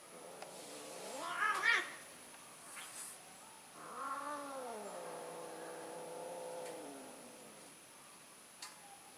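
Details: Domestic cat, an orange tom among them, in mating season: a long drawn-out caterwaul with a rising then wavering harmonic howl, preceded by a brief louder squall and a few clicks.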